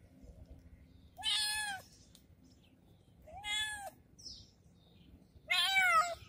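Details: Kitten meowing after treatment, three loud drawn-out meows spaced about two seconds apart, each with a bright harmonic sweep, over quiet low background hum.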